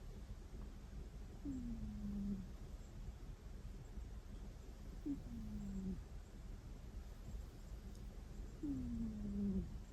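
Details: Domestic cat asleep and snoring with a soft "kuu... kuu...", a sound rarely heard from it before; three quiet, whiny snores, each sliding downward, roughly every three and a half seconds over a low steady room hum.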